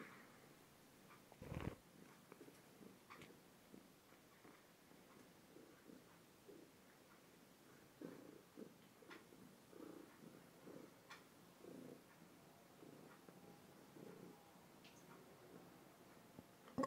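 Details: Purring from Tishka, a heavy two-year-old pet cat, recorded on a phone indoors; continuous low rumbling purr with regular breath pulses, a loud thump near the start and light rustles throughout.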